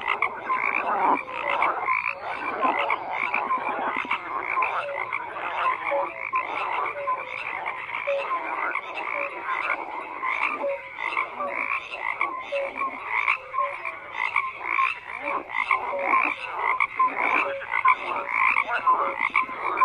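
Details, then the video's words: A thick, continuous frog chorus: countless overlapping croaks and raspy trills blend into a steady wall of sound with constant rapid pulsing and small swells, nothing else audible. "FROGS CROAKING"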